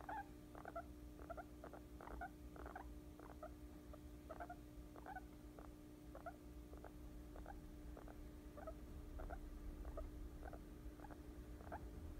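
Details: Guinea pig falling asleep on a person's lap, giving soft, short squeaky chirps in loose runs of two or three per second, with brief pauses between runs, over a steady low indoor hum.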